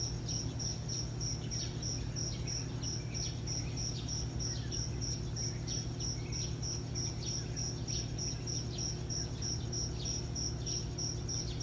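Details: Cricket chirping in the morning: a steady train of short, high, pure pulses, roughly three each second, over a constant low hum and faint background noise.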